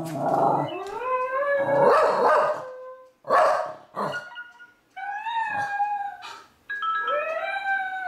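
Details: Pet Wire Fox Terrier howling, perhaps singing along or letting another dog know he is there; loud, wavering harmonic howls rising and falling, some rough and breathy, broken by short pauses, ending in a steady rising whine.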